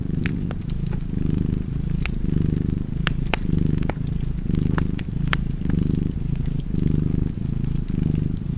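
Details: Deep, vibrating purr of a cat by a crackling fire, its loudness cycling in regular breath-paced waves near one per second, with many small snapping sounds from the flames.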